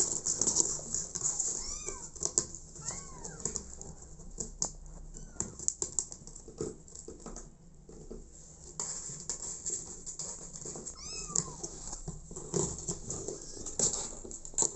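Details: An abandoned kitten, taken in by mother cat Smokey, gives a few thin, arched meows in small bursts, separated by quieter stretches of rustling and clicking handling noise.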